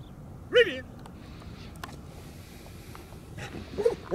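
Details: Large, powerful adult male German Shepherd, a show and working dog under handler control during obedience and protection work, gives two short sharp barks about three seconds apart, with quiet background between.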